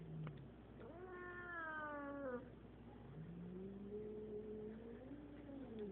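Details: Eight-year-old female Siamese cat, introduced to a five-year-old male cat, utters a rising then falling yowl followed by a long, low, wavering moan that swells and sags over several seconds against a steady hum.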